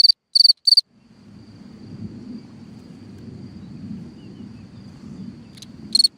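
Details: Cricket at night by its hole in the ground gives three quick high chirps, then falls silent while a low rumbling noise fills several seconds, before a single chirp returns near the end.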